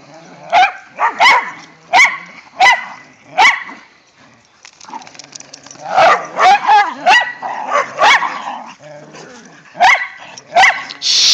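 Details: Whippets Mikey and Kieran play with a rat terrier in the first light snow of the season, giving loud barks, evenly spaced at first, about every three-quarters of a second, then in a denser run of yips and barks.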